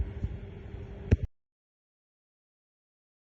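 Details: Low engine-like rumble with a sharp knock near the end, then silence for the rest.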